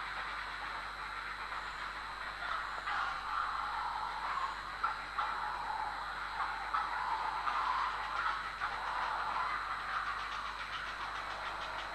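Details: A steady, rushing hiss like machinery or a passing train fills the recording, with faint clicks and no clear animal calls.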